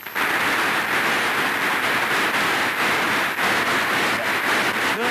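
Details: Steady broadband rushing noise, like traffic or rain, with a few faint voice traces and no animal sounds.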